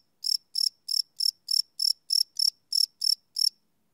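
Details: Cricket chirping at night, recorded live with a Sony PCM D100 field recorder; eleven short, high, pulsed chirps in about three seconds, then a pause, with a silent background.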